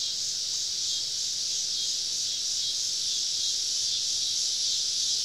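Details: Cicadas singing all around a woodland campsite on a southern summer evening: a steady, dense, high-pitched shrill drone that holds evenly throughout with no breaks.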